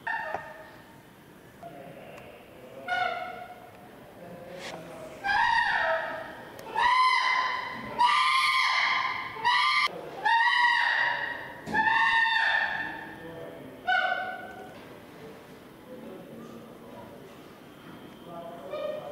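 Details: Chimpanzee Flynn screaming at Jambo while baring teeth, possibly seeking reassurance: a run of loud, shrill harmonic screams rising in pitch and intensity, about forty per minute, with quieter hoots before and after.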